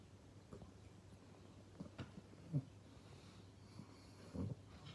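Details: Pangpang the pug, drowsy and resting indoors after a busy day, gives two soft, low, breathy snorts a couple of seconds apart over a faint steady hum in a quiet room.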